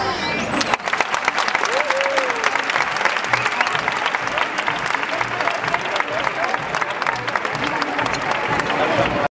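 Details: Dolphins fill the water with rapid crackling clicks, broken by a few brief, sliding whistles, while the audience stays silent.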